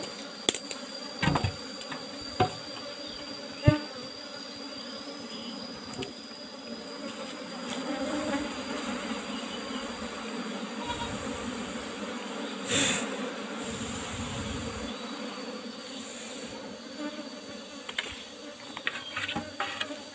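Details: Honey harvest from a box hive of Asian honey bees (Apis cerana), the cover a used asbestos sheet: a sustained, even droning buzz with a higher overtone, scattered sharp taps and clicks of handling throughout.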